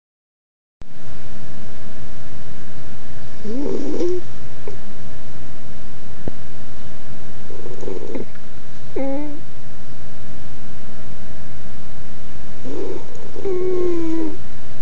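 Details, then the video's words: Sleeping Jack Russell Terrier puppy snoring indoors: soft wheezing breaths roughly every four to five seconds, some ending in a thin whistling squeak, over a steady low hum. "My Jack Russell Terrier Dog Snoring"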